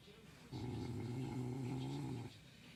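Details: Sleeping dog snoring: one sustained low, rough, droning breath lasting nearly two seconds, steady in pitch, with quiet room noise before and after.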